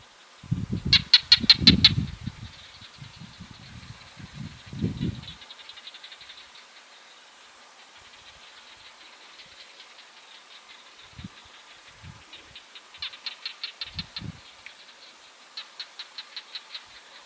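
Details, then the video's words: Barking geckos recorded on 22 July 2022: dry, sharp clicks in fast bursts, one early flurry and then two more series near the end, each a quick run of repeated ticks. Deep rumbling thumps fill the opening seconds. "Barking geckos"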